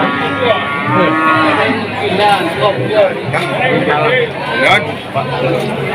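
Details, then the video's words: Young Peranakan Ongole bulls at the Tuban cattle market give several drawn-out, low moos over steady crowd chatter and market bustle. "SAPI PO JANTAN BAKALAN"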